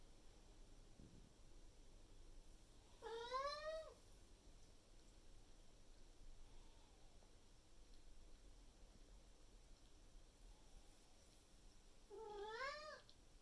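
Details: Indoor Maine Coon cat pressing its owner for breakfast on a May 2021 morning: two loud, wavering meows about nine seconds apart, each rising then dropping, with quiet room hum between.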